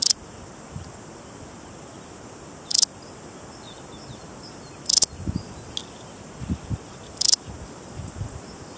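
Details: Balearic saddle bush-cricket, an endemic of the Balearic Islands such as Menorca and Mallorca, giving short high-pitched scratchy chirps about every two to two and a half seconds over faint low rustling background noise.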